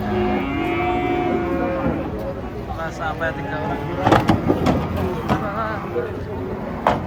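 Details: Large, aggressive cattle coming down off a truck give a couple of sustained low moos early on, followed by clattering, knocks and people talking.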